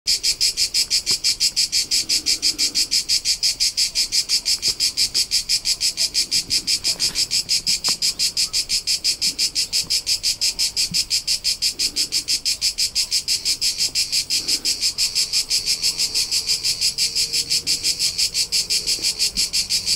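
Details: Crickets recorded on the rolling hillsides of Tuscany, central Italy, in summer. A dense high chirping pulses steadily, about three beats per second, for the whole stretch, with a faint low rumble underneath.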